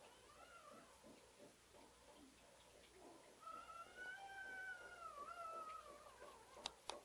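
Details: Female purebred pug puppy, white, giving soft, wavering whimpers that swell into a long, high, slightly falling whine lasting about two seconds, ending with two sharp clicks in a quiet room.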